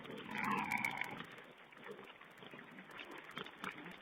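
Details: Feeding wild boar piglets on a webcam, 16 April 2010. A loud, tonal squeal lasts nearly a second at the start, then fades into softer scattered grunts and shuffling over a hissy background.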